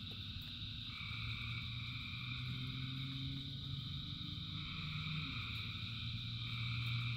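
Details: A massed chorus of frogs in rain: fast repeated croaking, around four a second, with a prominent deep droning voice underneath and higher trills above, rain hissing throughout.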